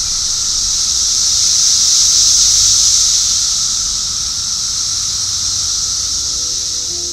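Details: A dense chorus of Brood X periodical (17-year) cicadas in the eastern United States in summer, with males calling to attract mates. They fill the air with a steady, high, electric-sounding buzz.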